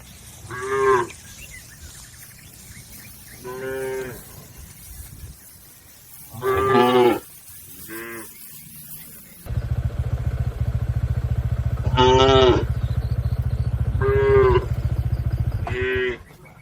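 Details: Cattle, a tame village herd grazing in a green field, mooing repeatedly in bright harmonic calls spaced a few seconds apart, with a steady low engine-like hum joining halfway through.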